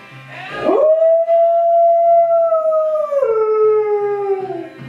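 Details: Alaskan Malamute howling along to Dream On: a sharp rising onset leading into a steady, drawn-out tone held for about two seconds, then stepping down into a lower falling wail, with soft music in the background.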